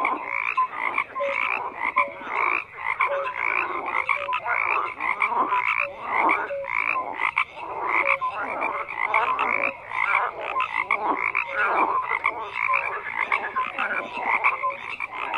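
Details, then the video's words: Overlapping croaks from a crowd of frogs form a steady wall of sound, rattling bursts rising and falling with short piping tones scattered among them. "FROGS CROAKING"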